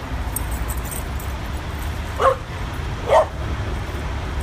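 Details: Adopted dog at a New York City dog park near the West Side Highway, on its first visit, gives two sharp, short yips about a second apart over a constant low rumble of highway traffic.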